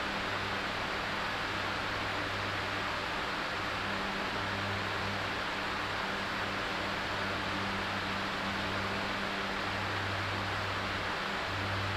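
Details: Broadband hiss like a running fan fills the room, with an intermittent low hum and no meowing or other animal sound.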